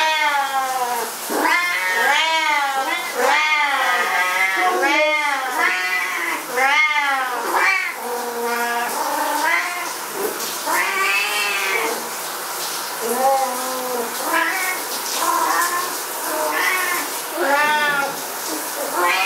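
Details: Two Siamese cats, which go berserk whenever their owner showers, yowl insistently, loud drawn-out meows tumbling one after another almost every second.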